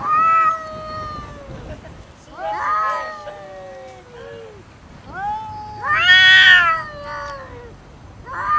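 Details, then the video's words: Two cats fighting over food, neither willing to share; several long harmonic yowls and wails rise and fall, overlapping, with louder bursts near the start, middle and end. "Cats never compromise with food| Fight with other cat"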